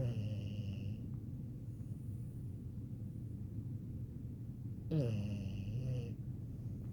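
A French Bulldog snores in a deep, rough, rumbling drone with a brief high whistling squeak.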